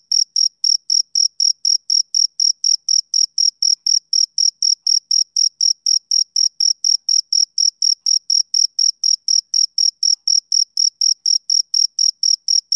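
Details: Continuous chirping of a male cricket on a summer evening: a long run of piercing, evenly timed pulses, about four a second, holding the same pitch and loudness throughout, otherwise silent.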